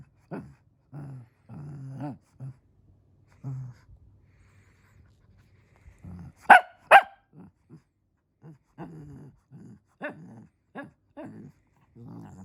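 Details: Shih Tzu wanting to play, mostly uttering low, soft grumbling whines and huffs in short bursts, broken by two loud sharp barks near the middle, then more muffled grumbles.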